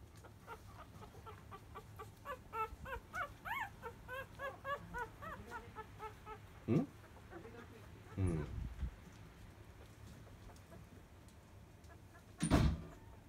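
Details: Five-day-old field-line Labrador Retriever puppies nursing at 10 a.m. from their mother biscuit, a 2017 JFA grand champion. About a dozen quick, squeaky, arching whimpers run together over five seconds. They are followed by a few louder broadband thumps and rustles.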